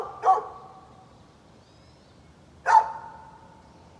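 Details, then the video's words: Isolated, widely spaced barks from a neighbor's dog on 13 November 2020: one bark, a long quiet pause of over two seconds, another bark, then the start of a third. "Neighbor's barking dog"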